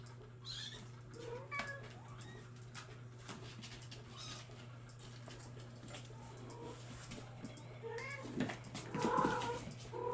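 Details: Bengal kittens from July 2022 litters give a few thin, rising meows early on and a louder cluster near the end, set against a steady low hum and soft rustling.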